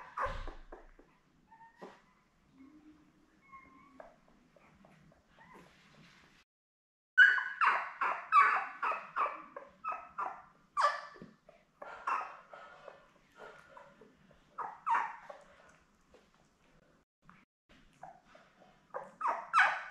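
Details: Seven newborn Labrador Retriever pups, born May 24, 2021, beside their mother Belle on a June 4 puppy cam: quiet faint whimpers at first, then bursts of rapid high yips and squeaks in clustered runs with short gaps.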